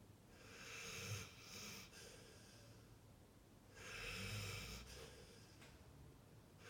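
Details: Sleeping pit bull snoring in two long, rough breaths, each a broad raspy hiss with a low rumbling undertone, separated by quieter breathing.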